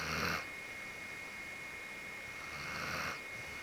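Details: Genki, a pure-white Akita, sleeping with its whole body relaxed, snores: two breathy, rasping snores, one at the start and one near the end, separated by quiet, over a steady faint high-pitched whine.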